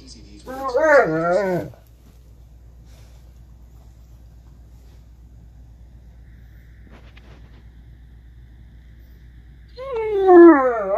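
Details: An 8-month-old blue Great Dane 'talks' in wavering, moaning yowls that bend up and down in pitch.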